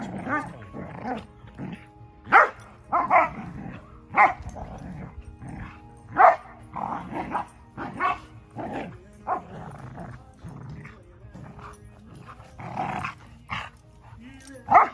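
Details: Cash, a Standard Schnauzer, playing noisily with his puppy friend, never aggressive: a rapid irregular run of gruff growls and short snapping barks, some louder peaks, continuing throughout.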